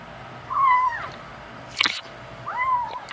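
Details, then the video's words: Five-week-old male kitten meowing while eating the adult cats' dry food indoors; two clear, high, drawn-out meows that slide downward, separated by a sharp crunch or click. "kitten talking while eating"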